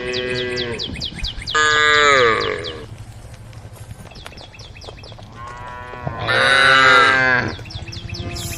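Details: Calling to the herd, tame female cows walking a road beside rice fields give three loud bellowing moos, one short, two longer and wavering, with a steady backdrop of quick high-pitched chirping and low hum.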